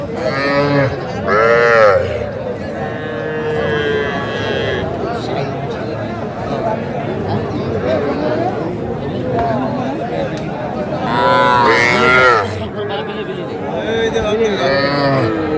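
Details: Young cattle, small bulls and heifer calves, at a crowded market in Faridpur, Bangladesh, on 8 February 2025; drawn-out harmonic moos rise near the start and again near the end, over constant chatter of buyers and sellers bargaining.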